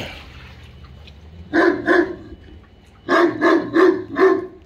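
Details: An English Mastiff German Shepherd mix barks at an inflatable pool toy, two quick deep barks followed after a pause by a run of four strong, evenly spaced barks.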